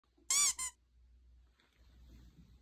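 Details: Puppy giving a brief high, thin squeak in two quick harmonic bursts, the first longer and arched, the second clipped, followed by near silence with faint room rustle.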